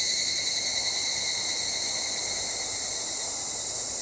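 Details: Evening cicada (Tanna japonensis), song.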